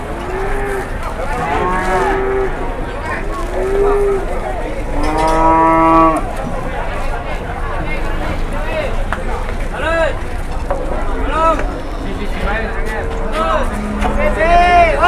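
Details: Cattle in Indonesia, loaded onto and unloaded from trucks, low repeatedly: several drawn-out, harmonic moos, some deep and some higher-pitched, over steady vehicle rumble and background noise.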